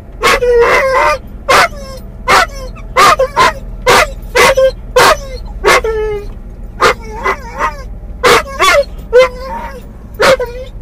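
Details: Mungle, a muzzled doberman/collie cross in a car, calling for his lost toy Moromom: a run of sharp yelping barks with tonal whiny tails, irregularly spaced, some drawn into short whimpers, over a low vehicle rumble.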